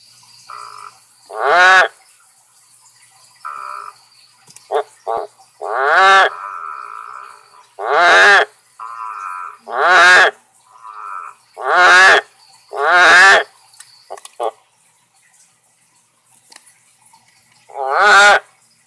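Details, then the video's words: A male Amazon milk frog gives loud, rich, throaty croaks in uneven bursts, calling to persuade a female to lay her eggs at a filter box. "Male Amazon milk frog getting his flirt on"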